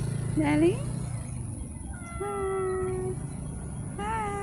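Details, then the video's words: Street cat giving a short rising meow, then a long level mew held for about a second, and another beginning near the end, over low traffic-like rumble and faint voices. "the life of a street cats || cat lovers viral cat | meowing"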